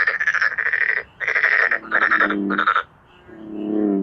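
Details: Male black-spotted pond frogs croaking in rough, pulsed bursts about half a second each. A lower, tonal droning call overlaps the later bursts and carries on alone at the end.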